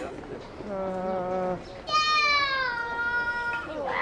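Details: Gibbon at International Gibbon Day, 24 October: a long, harmonic-rich wail, first a level lower tone, then a sustained higher note that slowly falls in pitch. Faint background voices are audible.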